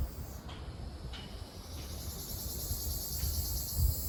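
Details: Ryukyu large brown cicada singing in Okinawa on June 4, known locally as Naabikachikachii: a steady, dense high-pitched buzz runs throughout over low background rumble, with a few faint clicks.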